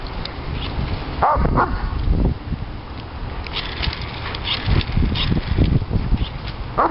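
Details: Diesel, a three-year-old Doberman Pinscher, goes wild for bubbles. Several quick high whining yelps cluster early on, then short bursts follow over a thick bed of low thumping and rustling noise.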